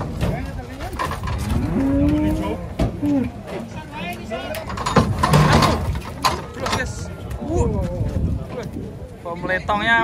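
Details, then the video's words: Cows coming down off a truck give a brief low moo early on, mostly covered by men's voices, engine noise and music. "KUMPULAN SAPI LUCU TURUN DARI TRUK"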